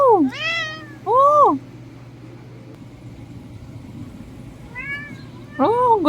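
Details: Persian cat; meow; asking for food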